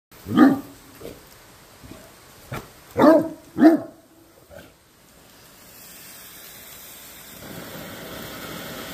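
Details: Great Dane Obadiah barks at a firework fountain: one deep bark, then a pair of loud barks about half a second apart and a softer one. The fountain's steady hiss builds over the final seconds.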